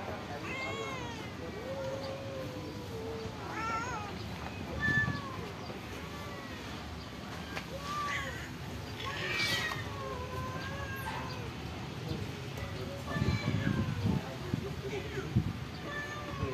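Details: Stray cats living at a pagoda, fed rice and fish, meowing repeatedly in short rising-falling cries, several overlapping voices, with low background rumble and occasional speech.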